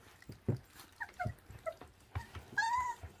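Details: Young feral dog pup at 26 days old eating raw food: several thin, squeaky whimpers, then a longer drawn-out whine near the end, mixed with wet chewing clicks.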